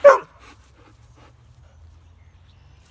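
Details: Dogs playing, an American Akita and a husky/greyhound cross; a single short sharp bark opens the clip, followed by near silence with a faint low rumble.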